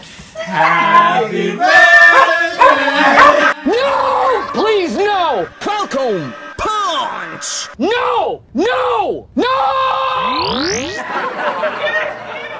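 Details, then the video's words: Astro, a rescued Puggle, howls along as people sing Happy Birthday indoors. Voices open the song, then arched, rising-and-falling dog howls follow about once a second, with a long upward-sweeping wail near the end. "Hilarious Doggo sings Happy Birthday: Astro the Puggle"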